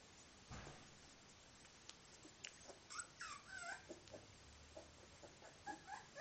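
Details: Three 24-day-old Miniature Bull Terrier puppies whimpering and yipping: short, high, wavering squeals and whines in irregular bursts, several overlapping over a soft background hiss.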